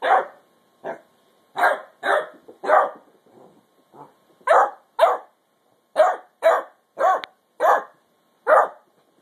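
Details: Ten-week-old female basset hound puppy Mildred, telling sister Beatrix she wants her bone, lets out irregular bursts of high-pitched barks, some paired, with a few low whiny grumbles in the gaps.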